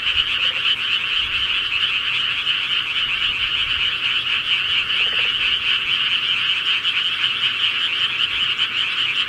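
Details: Frogs at night in the countryside: a loud, continuous chorus of quick pulsed croaks forming an even high-pitched trill from start to finish.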